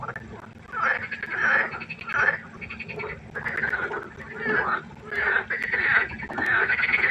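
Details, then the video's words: Frogs croaking at night by a pond: several overlapping callers give rattling, pulsed croak bursts about a second long, swelling and fading in waves, with a steady low hum underneath. "Froschkonzert. Frosch Geräusche quaken. Frösche Geräusche Konzert"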